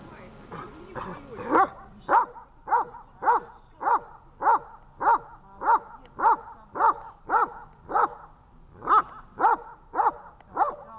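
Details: Dog named Tash barking during a training session in Horlivka on 18 August 2019; steady run of short, tonal barks about every half second, a brief pause near the ninth second, then the series resumes.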